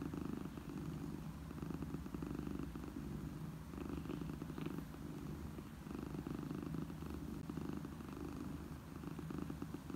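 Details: A domestic cat purrs steadily, a deep continuous rumble rising and falling with each breath; presented as a happy mother cat's purr for orphaned kittens.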